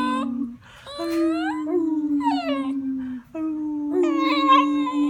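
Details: A beagle named Bender, quiet by nature and seldom barking, attempts his first full howl: a run of long, slightly falling tones with short breaks and a few rising yelps layered on top, recorded in a small room.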